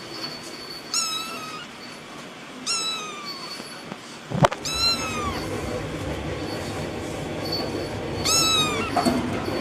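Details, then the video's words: Small cats of different colours meowing: four drawn-out, high meows with falling pitch, spaced roughly two seconds apart, a sharp knock between the second and third, and steady background noise throughout. "small cats making sound"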